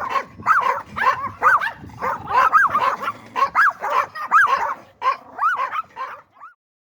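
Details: Yorkshire Terrier giving a run of shrill, arching yaps, roughly two per second, each bending up then down in pitch, easing off and stopping near the end.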